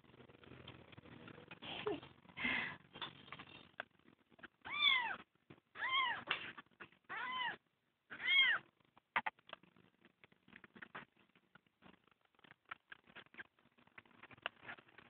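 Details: Kitten found crying on the road and adopted, giving a series of high, arching harmonic meows in a small room, five in quick succession around the middle, with handling noises and faint clicks before and after.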